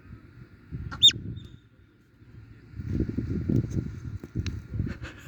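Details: A marmot lets out one shrill, steeply falling whistle near the start. Low rumbling and murmuring sounds follow, with a few faint, short high notes later on.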